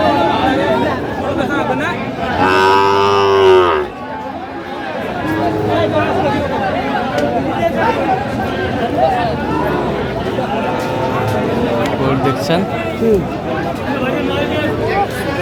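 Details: A loud cow's moo at a crowded cattle market in Kurigram, Bangladesh, on 19 April 2025, where a Sahiwal bull calf was bought. The deep moo lasts about a second and a half and rises then falls. Steady human chatter and crowd noise fill the rest.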